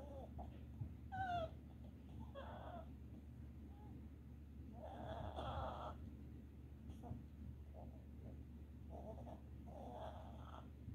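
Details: A red Boston Terrier whimpers softly while dreaming in its sleep, which happens often. It gives brief, thin, wavering squeaks over a low hum.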